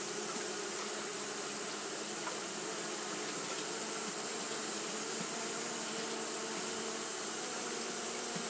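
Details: Fanning Japanese honey bees on a hot day produce a continuous droning hum, low bands around 200 and 400 under a wide steady hiss, level and unbroken from start to end.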